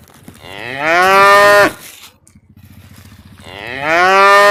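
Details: A tame cow in peaceful countryside gives long, loud moos rich in harmonics, rising then falling with pauses between, calling its companions to drink and eat.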